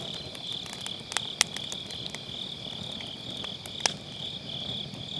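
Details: Autumn-night grass insects near a crackling campfire, captured on a Sennheiser MKE600 with low cut: continuous shrill insect trilling holds steady while loud wood pops and snaps burst in now and then.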